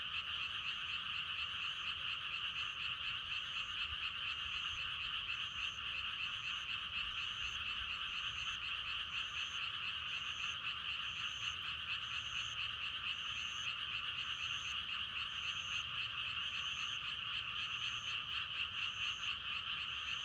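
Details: Frogs croaking for meditation and sleep: a dense, continuous pulsing chorus that never pauses. Short high notes repeat steadily over it, and a faint low rumble runs underneath.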